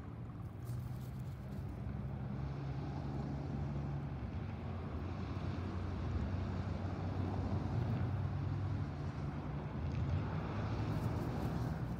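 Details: Continuous low engine rumble from a passing vehicle or boat fills the whole stretch, with broadband outdoor noise swelling and fading.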